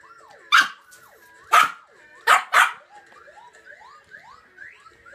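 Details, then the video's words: Two-year-old Yorkshire terrier puppy begging indoors for leftover Christmas dinner ham: four sharp, loud barks, two of them close together near the end, with faint rising whine-like tones sliding upward in between. "My Yorkshire Terrier is bagging for Christmas Dinner Ham!"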